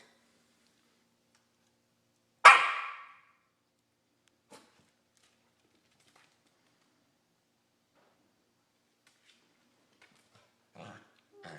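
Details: Two corgis mouthing each other in play; one gives a single loud, rough, groaning, bark-like cry, followed by faint scuffles and soft clicks.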